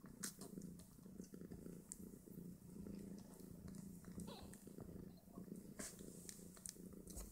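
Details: Two-day-old Snowshoe Siamese kittens, five of them, suckle and squabble at their mother's teats; steady low purring runs throughout, broken by soft rustles, small squeaks and occasional sharp bumps.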